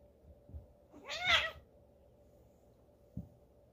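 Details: Two of three pet tabby cats wrestling playfully indoors, copying the household puppies; one short loud strained meow with a rising then falling whine, with soft thumps of movement before and after.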